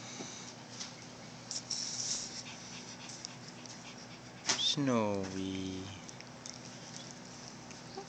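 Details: Snowy, a five-year-old cream-colored female Pomeranian born white, freshly woken up, gives one drawn-out whining yawn that slides downward in pitch for about a second, set against a quiet indoor room with soft clicks.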